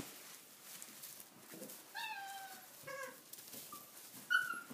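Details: Tibetan Mastiff puppies, six weeks old, let loose to play in a stable for the first time; several thin, drawn-out whines, the first falling gently, separated by short pauses over faint rustling.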